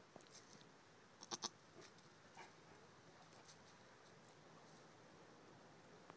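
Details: A male pygmy goat kid in his first week of life gives a couple of quick, thin, high bleats close together; pygmy goat.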